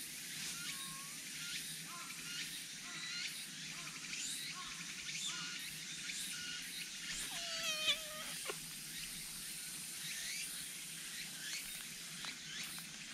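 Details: A black cat that has come by gives a drawn-out, slightly falling meow lasting about a second, with a shorter, softer meow earlier. Steady high chirping from insects or birds fills the background throughout.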